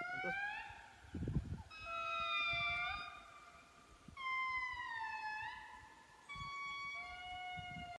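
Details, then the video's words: Indri song heard at a community reforestation project in Andasibe, Madagascar: long, siren-like wailing notes that swell, hold and slide between pitches. "Indri Song - Madagascar"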